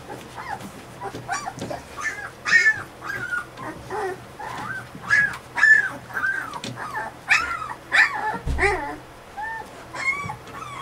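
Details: Fifteen-day-old Alaskan Malamute puppies squealing and whimpering almost without pause: overlapping high, wavering whines and brief yelps, several voices at once, with a low background hum and a single thump near the end.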